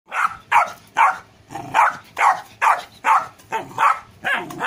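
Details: Rocky, a golden retriever puppy, barks in a quick series of about nine sharp, mid-pitched yaps over under five seconds, each short and evenly spaced, with little else heard.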